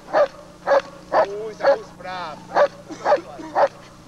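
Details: Quick repeated barks, about two per second, from the DDR working German Shepherd Lord v. Gleisdreieck, captured from television footage dated 1995. A brief whining note falls midway, with a steady hum underneath.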